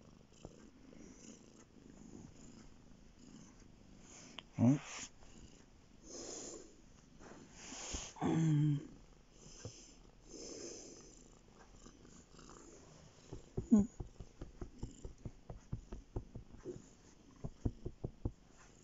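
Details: Male domestic cat lying on a bed indoors, purring: a soft low rumble, broken by a few louder bursts, then a run of quick regular pulses toward the end.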